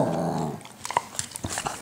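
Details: American Cocker Spaniel giving its morning roar indoors: a low, rumbling harmonic groan lasting about half a second, followed by faint clicks, rustles and small thumps.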